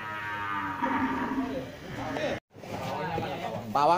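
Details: One-ton cow during loading gives a long, deep moo that sags in pitch, followed by a brief break and louder commotion with shouts and clatter.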